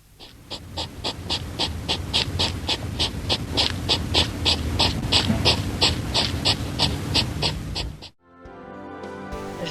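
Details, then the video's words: A hedgehog, a forest animal that hunts at night, snorts in quick, breathy puffs, about three each second, before music starts. "Так це їжак послухайте як пирхає їжак"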